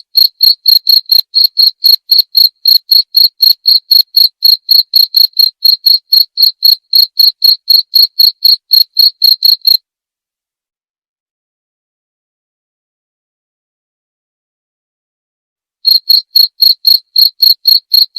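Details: Cricket call used as a natural sleep-therapy and rat-deterrent sound: a long run of rapid, regular high-pitched chirps, then about six seconds of silence before chirping resumes, no other noise.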